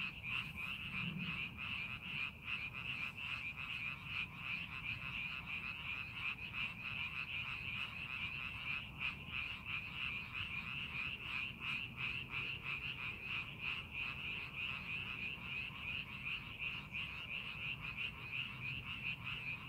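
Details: Frogs calling in rice paddies during farming preparation: a dense, continuous chorus of high, trilling croaks with rapid pulses, roughly three per second, forming an unbroken shimmering wall of sound.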